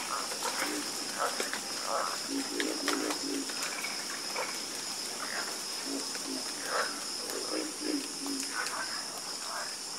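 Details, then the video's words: Harmonious frog chorus: short, low croaks and brief rattles from several frogs at irregular intervals, with a steady high shrill hiss running throughout. "Calming Sound Of Harmonious Frog Croaking"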